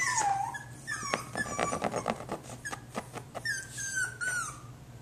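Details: Jack Russell Terrier puppy whimpering indoors: high, thin whines with harmonics that slide down then level off, in short bursts at the start and near the end, with soft clicks and taps and a steady low hum between them.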